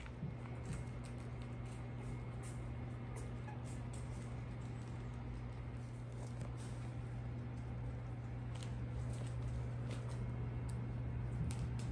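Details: A steady low electrical or engine hum runs throughout, with faint scattered clicks and soft background rustle, and no animal call can be picked out.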